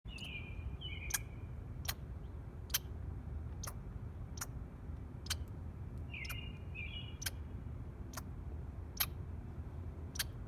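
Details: A squirrel eating food gives short, high chirps that slide downward, with sharp clicks ticking steadily in between.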